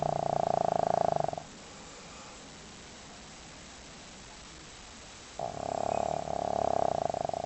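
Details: Pet dog fast asleep snores loudly: two long, buzzy, droning breaths with a steady nasal tone, separated by about four seconds of quiet hiss.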